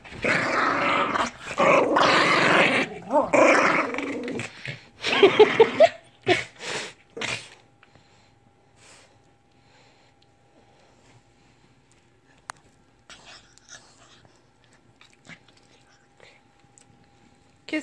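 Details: Indoor Lhasa Apso named Lily growling in dense rasping bursts for about seven seconds, with a short whining note near the end, then a long quiet stretch with faint clicks and a low electrical hum.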